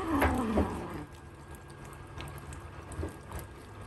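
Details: British Longhair kittens from Prada's litter of six, born 23 April, eating meat indoors; a brief, loud, tonal cry slides downward in the first half-second, followed by faint chewing and soft clicks in a quiet room.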